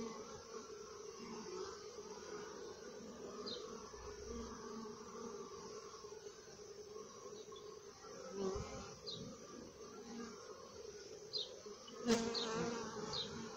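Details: Honey bees humming inside the hive: an even, multi-toned drone runs throughout, broken by a few short clicks and a sharp knock near the end.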